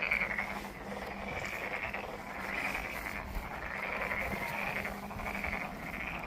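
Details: Pond frogs at Monet's Pond, Ulsan National Garden, South Korea, give a softer overlapping chorus of grating trilled croaks. The calls rise and fade in irregular waves over a low background hum.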